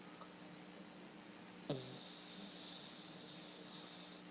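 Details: A dog named Gracie snoring indoors: a faint low hum, then a sudden long breathy hiss on the exhale that lasts about two and a half seconds before fading. The room is otherwise quiet.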